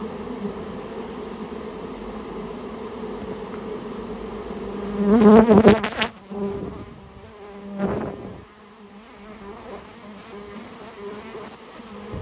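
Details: Japanese honey bees, a colony built inside someone's storehouse and now being removed, giving a continuous low hum that erupts into an intense, wavering burst of buzzing for about a second, followed by knocking sounds.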